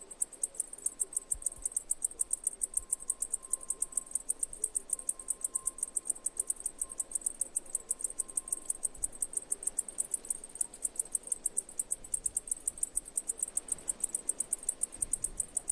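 Cicadas sing a continuous, shrill, rapidly pulsing buzz high in pitch, steady from start to finish.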